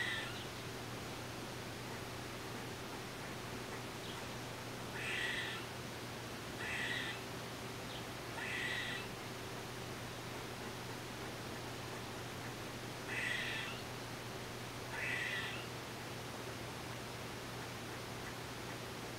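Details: Five short, grating, nasal calls from an eastern gray squirrel, recorded with a Nikon D3500 and Tamron 500mm lens, in two bursts roughly two seconds apart with a pause between, over a low constant hum.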